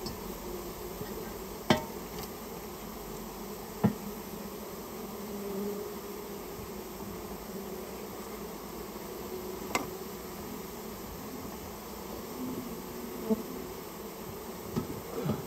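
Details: Removal of a Japanese honey bee nest from inside a storehouse: a steady low hum of the massed bees, broken by several sharp knocks and bangs at irregular intervals.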